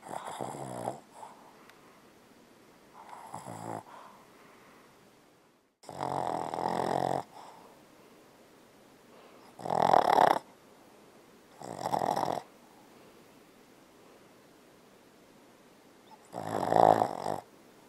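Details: A Boston Terrier, asleep and dreaming, snores in rough, rasping bursts at uneven intervals.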